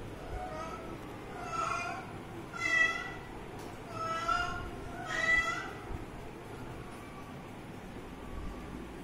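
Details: Kitten drinking water, giving four mid-pitched, harmonic meows spaced about a second apart over nine seconds, each short and slightly rising then falling, with a faint low background hum.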